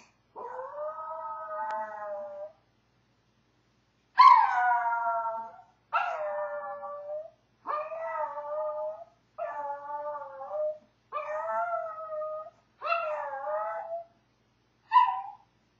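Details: Howling Maltese left alone with separation anxiety, giving a run of eight wavering howls, the first long and the rest shorter, each bending downward at the end, with short silent gaps between them.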